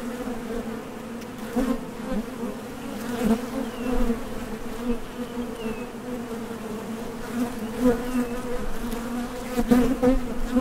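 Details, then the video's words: Many honey bees droning at a Top Bar Hive entrance as they head out for nectar and land again, an unbroken low hum punctuated by close fly-by buzzes and a few faint clicks. "HONEY BEES Sound Effect #MasonJar | BEES BUZZING"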